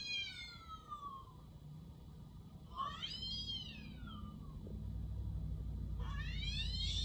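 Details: Pet cat reacting to the sound of a cat's meow; three loud meows, the first sliding downward, the second arching up then falling, the third rising, while a low rumbling noise builds steadily underneath.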